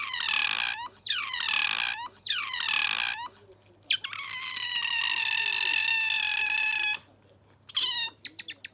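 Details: Captive pet otter named Bingo making a newly acquired squealing call: three quick falling squeals, then a long sustained harmonic wail lasting about three seconds, a pause, and a final short squeak, with low hum behind.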